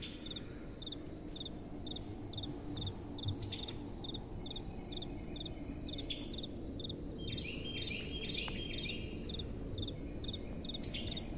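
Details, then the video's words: Night crickets giving rapid, regularly repeated high chirps, with a burst of busier trilling insect calls near the end, all over a constant hiss of gentle wind. "Relaxing Night Time Sounds | Crickets & Soft Wind"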